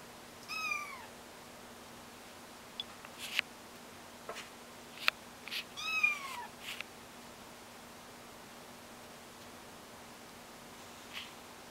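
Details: Kittens learning to walk utter two clear, high arched meows about five seconds apart, amid scattered clicks, taps and bumps from their movement.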